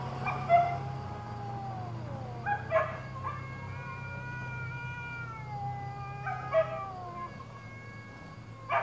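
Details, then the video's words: Sammy, a shop cat, caterwauls while defending his territory from a stray cat during a fight: long, wavering, drawn-out howls that slide slowly up and down, broken by a few sharp louder yowls, over a steady low hum. "Cats Fighting, Shop Cat Sammy!"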